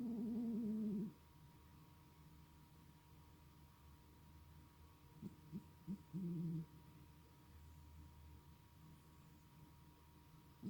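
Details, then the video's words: Male pet cat snoring in sleep: a low, tonal, hoot-like drone lasting about a second, then near silence, then a shorter stuttering snore with a second steady drone around six seconds, over a faint constant hum. "Snoring Cat"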